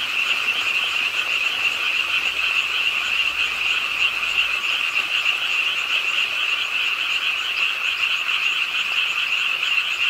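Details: Frogs calling together beside a city park pond in Suwon, South Korea, during nighttime rainfall; the continuous rattling, high-pitched chorus throbs without pause over steady rain patter.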